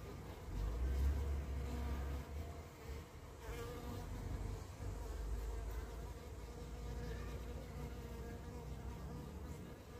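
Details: Carniolan honey bees at the hive as a queen returns home from a three-to-five-minute orientation flight; a steady, droning buzz of many wings with layered humming tones holds throughout, swelling slightly early on, with faint background noise.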